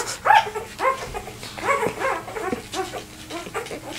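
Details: Two-day-old Vizsla puppy, one of a litter of seven, left behind as its siblings rushed to their mother and trying to find its way back; thin whimpers and squeaky whines over soft rustling and a low hum.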